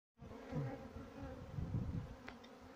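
Honey bees buzz in a low, steady drone with a warbling hum beneath.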